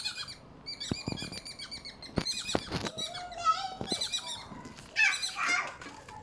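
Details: Several squirrels in Malaysia call with thin, high squeaks, chattering notes and quick chirping bursts that overlap irregularly, broken by sharp ticking clicks and brief scuffling rustles.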